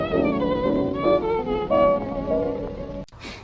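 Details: Sustained violin melody over soft strings, cut off by a sharp click near the end, with no animal calls.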